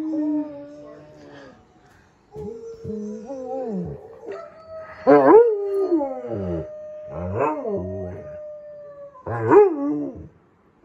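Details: Pet dog howling along with a dog on television: long wavering howls, some sliding down in pitch, others yodelling and broken, repeated about every two seconds, with a steady tone from the television underneath.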